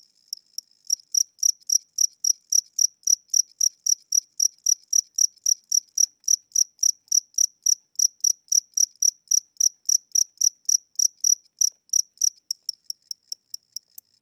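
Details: A house cricket chirping indoors at night, possibly old or tired with weakening wings, gives short high pulses at a slowed tempo of about three or four a second.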